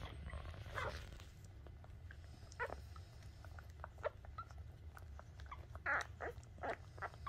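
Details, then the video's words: Newborn Shih Tzu puppy at the moment of its birth, giving short scattered squeaks and soft grunts, a few louder high squeals clustered toward the end, over a low steady background rumble. "Nacimiento Cachorro Shih Tzu"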